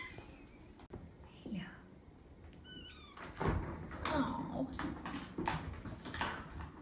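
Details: Nine-week-old foster kittens, from stray mother Belle's litter plus two orphans, in a foster room awaiting spay and neuter; one brief high mew with stacked harmonics, surrounded by soft cooing human talk and small room noises.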